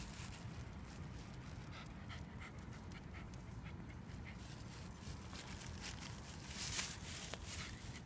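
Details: Shiba Inu named Speck on a morning walk in fine weather at Tsukiji Park, Amagasaki, 10 June 2015; faint, steady rhythmic panting runs throughout under low background rumble and a few soft clicks.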